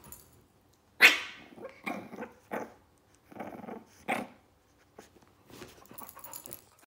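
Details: Zou Zou, a 9-week-old Shih Tzu puppy, and Lola the pit bull wrestle in a small room. One sharp yappy burst opens a run of rasping growls, each lasting about half a second, then softer scuffling follows.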